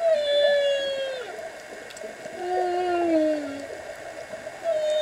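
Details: Underwater humpback whale song heard while diving: a sustained moan that dips at the end, a pause, then a lower drawn-out tone falling gently, with a new moan starting at the close over gurgling water.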